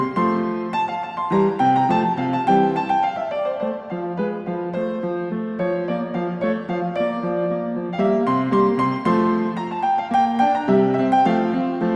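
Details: No animal sound is heard; gentle piano music plays throughout.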